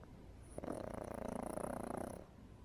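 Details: Pug asleep in an afternoon nap, snoring as usual: a steady, fast, rattling snore with rapid regular pulses that lasts most of the recording, then drops off to quiet room noise.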